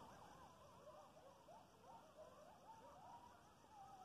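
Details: Coyotes howling about half a mile away: faint, wavering high tones sliding up and down in overlapping lines, several voices chorusing continuously over a steady background hiss.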